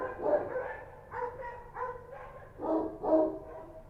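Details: Street dogs in Kabul, Afghanistan, barking at night; Kochi dog named. Distant, slightly muffled barks in uneven clusters of two or three, with a low background hum.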